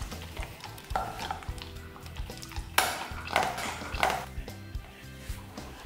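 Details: Indoor clatter of dishes and cutlery with scattered knocks and faint music, no animal sound heard.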